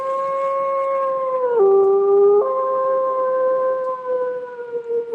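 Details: Adult gray wolves give lonesome howls, the call a wolf separated from its pack uses to locate it: long and steady, with sudden drops and rises in pitch that make the caller easier to locate.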